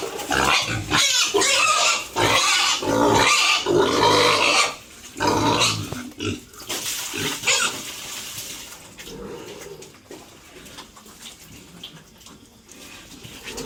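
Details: Farm pigs kept at home, around feeding, with bursts of shrill squealing and grunting over the first eight seconds that then fade to quieter rustling and low background noise.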